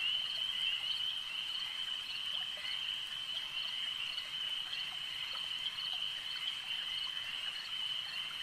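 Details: Frogs calling at a lake: a dense, unbroken high-pitched chorus of many overlapping trills forms a steady shimmering drone, with faint clicks scattered through it.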